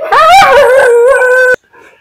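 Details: Pet Siberian Husky howling when it wants to play and wants to go outside, indoors in a temporary spot during floor construction: one loud sustained harmonic howl, wavering then holding steady for about a second and a half, cut off abruptly, then faint sounds.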